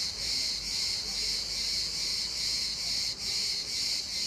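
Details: Cicada in İzmir giving a continuous shrill buzz, gently swelling and fading roughly twice per second, with one short dip in the drone.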